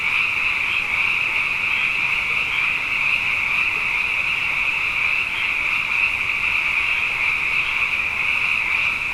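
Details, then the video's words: Abundant frogs calling at night after two wet years in a row: a dense, unbroken high-pitched chorus of many overlapping callers, a steady shimmering trill with even loudness throughout. "Frog Songs: Na Mele o nā Paloka"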